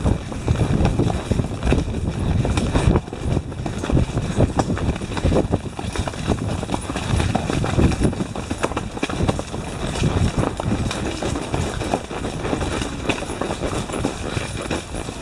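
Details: Four Tennessee Walking Horses, one a stallion, ridden along the winding Twist and Shout trail in Brenham, Texas, under an approaching storm; dense, dull hoof thuds fall in a steady, uneven stream over low wind rumble, with brief human voices.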